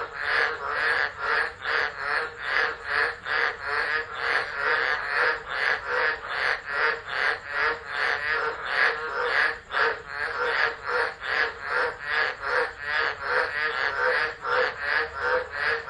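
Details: Chorus of tropical frogs singing through a tropical storm at Driver, Northern Territory, Australia, in December, phone camera set down and left. Loud raspy pulsed croaks overlap in a fast, continuous rhythm, roughly two to three per second.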